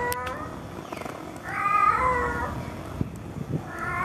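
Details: Tomcat calling to a female cat: one long wavering meow swelling and fading in the middle, with the start of another at the end, over low rumbling background noise and a few clicks.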